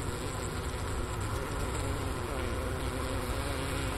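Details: Honey bees in their hive during winter at Ohio State's Wooster campus on January 16, 2024, around 4 PM with 15°F outside, recorder near the inner-cover hole by a sugar brick; a dense, unbroken low buzzing drone.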